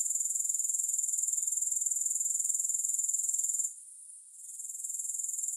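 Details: Grasshoppers, no music: a fast, pulsed, high-pitched trill that stops abruptly for under a second, leaving a soft hiss, then swells back in.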